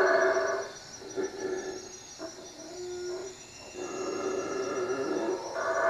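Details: Night howling of howler monkeys in treetops near a hut, Lake Peten Itza, Guatemala; hoarse roars rise and fall in waves, dipping quieter mid-clip before surging again, over a steady high insect-like hum.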